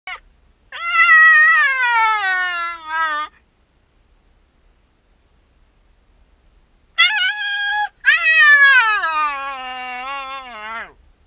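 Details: Shiba Inu named Yamato, left alone while its owner steps out on a short errand, gives two long whining howls: tonal, rich in overtones, sliding slowly downward, separated by a few seconds of silence.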